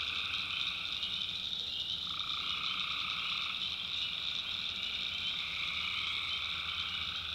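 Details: Tree frogs at night in a swampy North Carolina backwoods, recorded by the maker: a massed, ringing chorus with a constant high whine and a mid-pitched trill band that jumps upward partway through.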